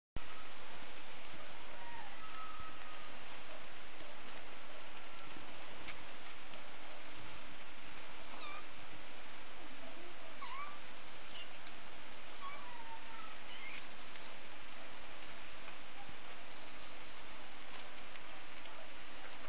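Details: Norwegian Forest Cat kittens, one month old (born 30 July 2017), give thin, high mews that rise and fall against a steady background hiss on a slow evening.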